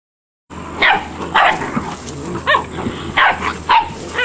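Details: Malinois puppies, eight weeks old, from a litter: after a half-second of silence, high, sharp yipping barks come in short bursts roughly every half second, some bending upward, over a steady low hum.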